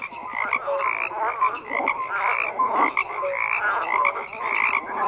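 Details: Many frogs croak together in a thick, continuous chorus, rasping pulses stacked over each other with brief clear tonal notes breaking through now and then.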